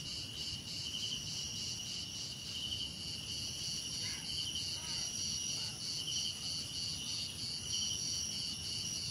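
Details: Cricket chorus from a calming nature ambience, continuous shrill high trills in stacked bands pulsing about once per second, with a brief faint lower chirping near the middle and soft low background hum.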